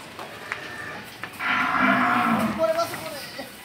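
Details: Cow at a Bangladeshi dairy farm, recorded during the sale of two cows to a Patuakhali buyer: one moderate, harmonic moo of about a second in the middle, set against steady low background noise.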